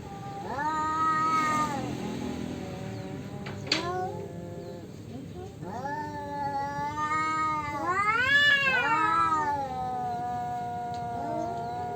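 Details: Male cats quarrel over territory with long, wavering yowls that rise and fall in pitch, overlapping and drawn out, swelling into a louder arched howl near the end.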